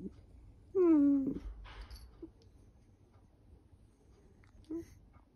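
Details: Female dachshund whining affectionately while her belly is stroked indoors; one drawn-out falling whine with clear harmonics, followed by soft rustling and a brief short whimper near the end.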